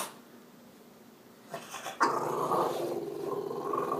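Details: Kermit the French Bulldog, a pet excited that it is Friday; quiet at first, then a sudden steady rumbling grumble that carries on through the second half.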